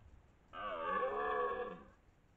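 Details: A twelve-point red deer stag, the dominant male of the area, bellows during the 2023 rut near Lartigau, Milhas, Haute-Garonne, France. It gives one deep, harmonic roar lasting about one and a half seconds, steady and then fading, in otherwise quiet surroundings.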